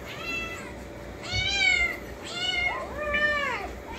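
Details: Several kittens growing up on canned wet food in a home with many cats, calling loudly for a can to be opened: a run of overlapping, arched meows, the last two nearly merging, over low indoor hum.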